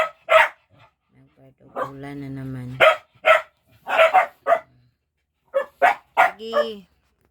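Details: Dogs playing as they wait for their food: sharp barks in short clusters, broken by a long drawn-out tonal whine or voice and a rising whine near the end.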